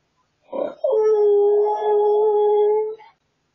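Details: A husky, recorded on a hidden camera, cries with joy on realising its owner is almost home: a short yelp, then one long, steady, mournful howl held for about two seconds before it fades.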